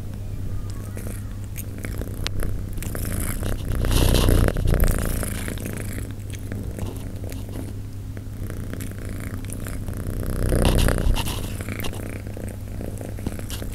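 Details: Persian cats eating, recorded up close: a low, steady rumble with louder crunching, smacking bursts.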